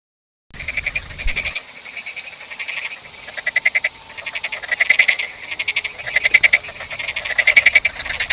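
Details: Frogs croaking in a chorus: dry, rapidly pulsed rattling bursts lasting about half a second to a second, several callers overlapping, with the bursts growing louder and denser toward the end.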